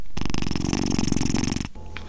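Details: Domestic cat purring close to a tiny microphone: a steady, low rumbling purr with a fast, even pulse, lasting about a second and a half before stopping abruptly. A faint tone follows in a quiet indoor room.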